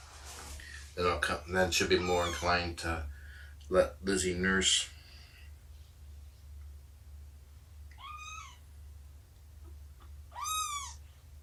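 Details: Domestic cats indoors on the morning of 2017-09-24 during nursing, snuggles and play with Shelby, an estimated two-year-old rescued mother, and her roughly three-month-old kittens. Human talking comes first, then two separate high, arching mews near the end.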